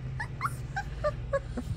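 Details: English Springer Spaniel puppies, Ruby Todd's first litter from Bigfoot's kennel, producing quick squeaky yips and whimpers, about five short notes in under two seconds, with faint handling noise.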